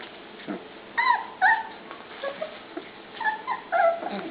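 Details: Penned pups at dinnertime let out short, bright whining yips, several curving downward in pitch, in uneven clusters about every half second, over a faint low background hum.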